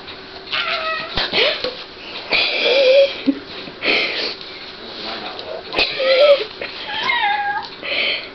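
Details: Domestic cat high on catnip giving drawn-out, wavering meows and yowls, some rising then falling, about six in eight seconds, while a person talks to it between calls.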